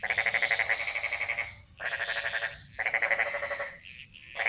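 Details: Frogs chorusing in Bali's jungles; strong throbbing trills of rapid, evenly spaced pulses last about a second and a half, pausing briefly before starting again, over a faint constant high-pitched tone.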